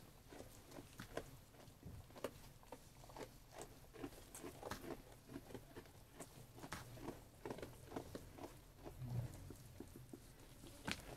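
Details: Eating sheep making rhythmic crunching and munching sounds, quick dry clicks following one another closely across the whole stretch over a low hum.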